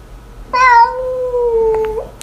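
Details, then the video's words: Angry domestic cat letting out a long, drawn-out whining meow of about one and a half seconds, strongly harmonic and slowly falling in pitch, indoors, with a person talking in Mandarin around it. "Angry Cats Compilation"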